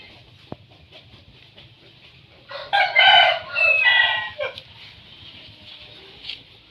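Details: A litter of nine newborn puppies, quiet at first, then bursting into a dense chorus of loud, high-pitched squeals for about two seconds before settling to faint murmuring.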